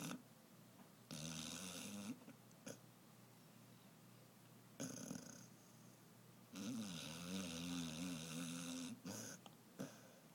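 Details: An 11-month-old female Basset Hound, sleeping blissfully on a tote bag, snores in loud, rasping bursts, each breath a rumbling, wavering drone.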